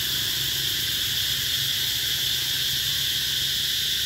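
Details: Summer cicada chorus in Vietnam's Mekong Delta, Mỹ Luông eco-tourism area, An Giang, 2021. A loud, constant high-pitched drone with no breaks, layered over a faint low hum.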